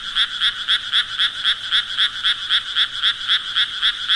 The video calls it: Sounds Of Frogs Croaking Nature Sounds